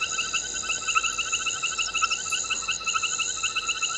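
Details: Frog at Gowrie dam waterhole, Djuma Game Reserve, Sabi Sand Wildtuin, South Africa, 21:05 on 22 November 2019, caught by a live waterhole camera: shrill, rapid pulsed notes repeating without pause in a steady, ringing chorus.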